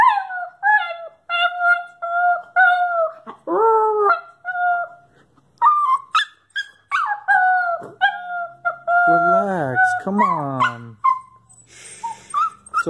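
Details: Anxious nine-month-old miniature pinscher mix female, left behind while her owner walks their other dog. She gives sustained level howls broken by falling wails and sobbing whimpers. A burst of hissy noise is heard near the end.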